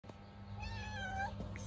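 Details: A hungry stray cat living on the street, being fed, gives one drawn-out wavering meow lasting about a second, with a steady low hum in the background.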